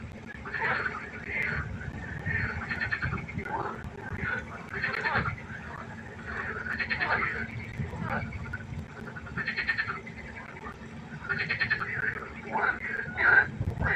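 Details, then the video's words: Pond at night filled with croaking frogs, short nasal, buzzy calls repeated irregularly by several individuals, some bursts louder and more rattling, over a low background hum. "1 Stunde Froschkonzert. Frosch Geräusche quaken. Frösche Geräusche Konzert"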